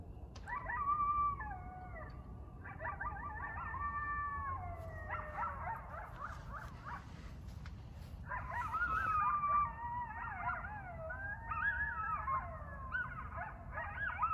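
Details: A couple of coyotes howl and yip together at night in Burlington, Ontario, where packs usually howl around 10-11pm between forests; voices slide up and down in wavering, overlapping wails; finding: Coyote.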